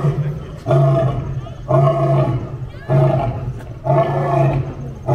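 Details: A lion meeting another lion gives a series of four loud, deep, rasping roars, one roughly every second, each with rich low harmonics and brief quieter gaps between them.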